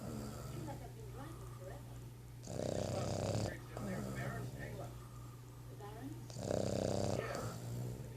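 A Boston Terrier snores in rough, rasping breaths roughly every four seconds over a steady low hum.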